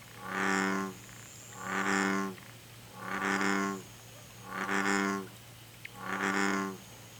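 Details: American bullfrog (Rana catesbeiana) in Korea calling: five deep, throaty, harmonic croaks with a low base, each about half a second long, repeated steadily every one and a half seconds over faint background hiss.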